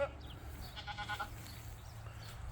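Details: A goat on a Michigan farm gives a short, wavering, nasal bleat over a low rumble of wind, heard while walking outdoors past peonies and a maple tree.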